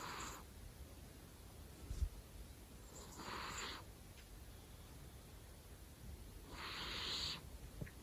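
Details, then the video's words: Domestic cat snoring loudly in its sleep: three breathy, hissing snore bursts about three seconds apart, each lasting under a second, over a quiet indoor background. "Snoring so Loud Part 2"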